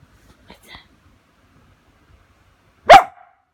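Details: Samoyed waking its owner in the morning, after near silence, a single loud abrupt bark; faint soft sounds earlier.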